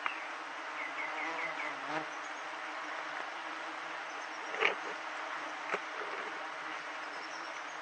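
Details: Wild giant honey bee colony disturbed during a honey harvest, a continuous broad hiss of massed wingbeats, faint high chirps early on and occasional sharp taps or knocks.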